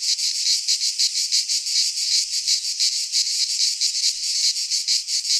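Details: Loud high-pitched cicada buzz in a midsummer pine forest in Greece, swelling and dipping in regular beats about three times a second without pause.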